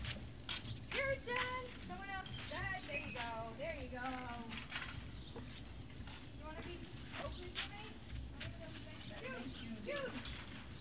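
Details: Dogs at breakfast at the Service Dog Project in Ipswich, Massachusetts, USA, November 30, 2017, give bursts of rising-and-falling whines and short yelps amid clattering bowls, a low hum and occasional voices.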